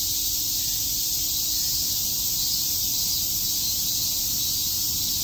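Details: Cicadas at Tokyo's Shakujii Park on a summer day produce a thick, steady shrill hiss, uniform from start to end, with faint low background rumble.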